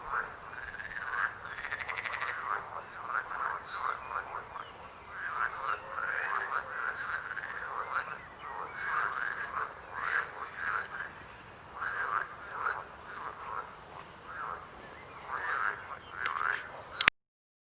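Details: A dense chorus of croaking frogs, with short rapid croaks repeated over and over by many overlapping callers and a steady pulsing rhythm, ending abruptly with a click.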